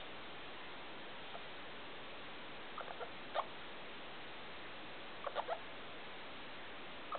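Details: Felica, a pet degu, calling indoors at 2 o'clock at night with the big room light switched on: short squeaky chirps in small clusters of two or three, separated by quiet stretches over a steady room hiss.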